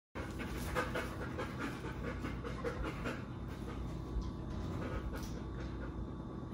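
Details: Bernese Mountain Dog, a pet being tested on whether he will steal food from the table, panting in quick breathy puffs several times a second over a steady low indoor hum.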